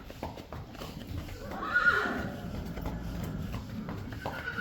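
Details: Friesian horse at a stable whinnying, a brief bright call near the middle over soft hoof clatter and shuffling, with a person speaking Dutch to the horses.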